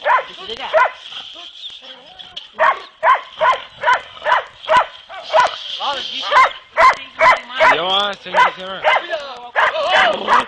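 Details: During boar-hunting training in Turkey, the dogs Kopoy and Barak bay in a steady chain of sharp barks, roughly two per second, mixed with rising and falling howling yelps and a faint human voice.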